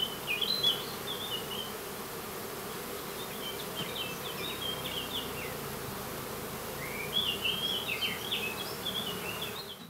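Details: Foraging honey bees of a colony produce a continuous droning hum, while clusters of bright, quick bird twitters come and go above it, loudest near the start and again toward the end.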